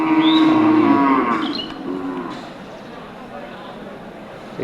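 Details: Native cattle at Amtali market, Manikganj, Bangladesh, before Eid al-Adha. A steady, low moo lasts just over a second, then fades into market bustle and distant voices.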